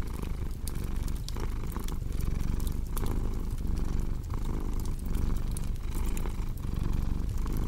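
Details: Purring cat alongside a cozy crackling fire: low, throbbing purr rising and falling with each breath roughly every second, overlaid with frequent bright snaps and clicks from the fireplace.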